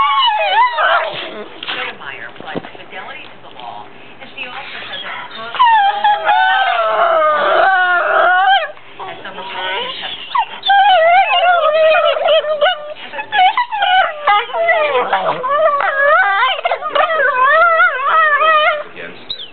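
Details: Two pit bull brothers playing in bed, too tired to play outside and not allowed to bark, making a long run of whiny, howling, rising and falling yodel-like noises that overlap and shift pitch constantly.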